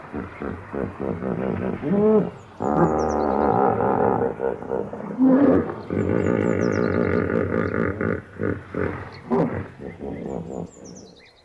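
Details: Deep rhythmic hippopotamus bellow: a rolling run of throbbing, honk-like grunts in long bursts, pausing near the middle and trailing off into scattered short grunts, with thin bird twitters high overhead.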